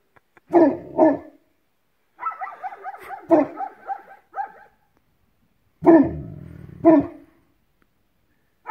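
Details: Bernie, a Newfoundland dog on his first visit to a Belarusian village, barking at sunrise: deep, booming barks in pairs, separated by a stretch of softer harmonic whining sounds, then another loud pair.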